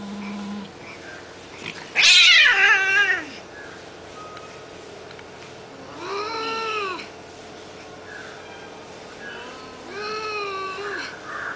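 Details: Domestic cats in a fight: a loud harsh squall bursts out near two seconds, then drawn-out wavering yowls with rich harmonics rise and fall around six and ten seconds over a faint steady background hum.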